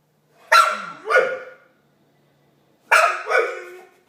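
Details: Marley, a pet dog, making funny Chewbacca-like noises: two pairs of harsh, rising-and-falling groaning yowls, each pair of calls about half a second apart, with a long pause between the pairs.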